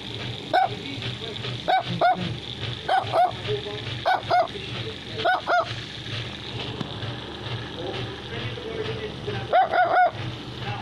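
A small Chinese Crested dog gives sharp, high yapping barks, usually in quick pairs, over a low hum.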